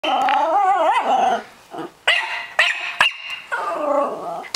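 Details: Young male Norfolk Terrier, six and a half months old, reacting to a balloon he is seeing for the first time: drawn-out, wavering, high whining yelps, then short sharp bark-like bursts, another long whine, and people talking.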